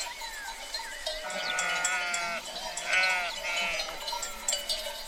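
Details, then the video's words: Sheep in a herd giving repeated trembling bleats, some higher and some lower, calling over one another continuously against a background of ringing bells. "Free Sheep Herd Sound Effect"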